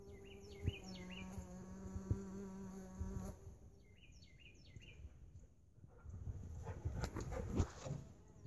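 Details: Mason bees inside a lawn mower bagger: a steady low droning buzz with rich overtones for about three seconds, then fading to faint rustling, with brief chirping birds in the background throughout.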